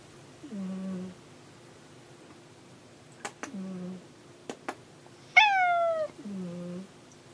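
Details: Indoor cat Hanu calls while looking for Monaka: soft low murmured mews, a few sharp clicks, then one loud high falling meow followed by another quiet low murmur.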